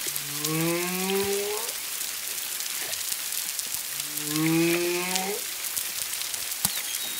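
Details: Humpback whale song recorded off Culebra, Puerto Rico, on 25 February 2022, singer roughly one to two miles away with at least a second whale present: two long rising, harmonic moans, about 1.5 s each, three seconds apart, over steady crackling rain-like hiss.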